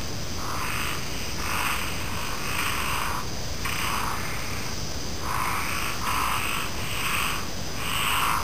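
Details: Frogs calling alongside insects: rough, buzzy croaks come in bursts about a second long with short gaps, a pause near the middle, then a steady run of bursts, over a constant high insect hum and low background rumble.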